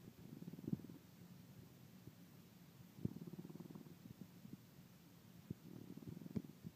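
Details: Pet dog snoring, the snoring getting louder by the week: low rumbling, rattling breaths in slow waves about every two to three seconds, with small sharp snorting clicks, in a quiet room.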